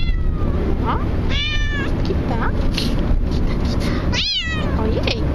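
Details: Bengal cat crying while travelling in a car: several drawn-out, wavering meows, the loudest near the end, over constant low engine and road rumble.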